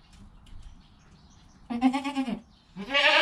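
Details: Newborn goat kid within its first hour of life, with its calm mother nearby: two bleats, a wavering harmonic cry followed by a louder, brighter one, over quiet background rustle.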